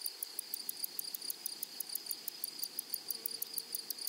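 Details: Grasshoppers singing in a flowery prairie meadow: sharp, high rasping pulses, about four per second, over an unbroken shrill tone, with a faint low note late on.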